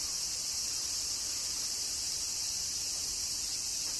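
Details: Cicadas of a Kyoto, Japan summer produce a constant, piercing buzz that neither rises nor falls.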